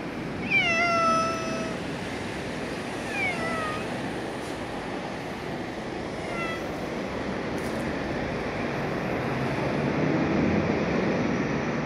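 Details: Pet cat meowing in greeting, a slightly unusual-sounding cry: a long drawn meow, a shorter bent meow about two seconds later and a faint third one, over constant low background rumble.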